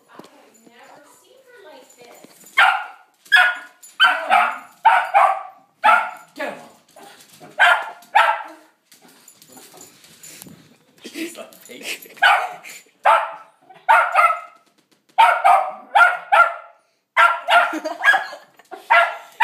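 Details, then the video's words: Dog barking at Santa seen outside, excited and insistent: sharp barks in quick bursts of two to four, about seventy a minute, with short pauses between volleys; a woman talks and urges the dog on. "barking at Santa"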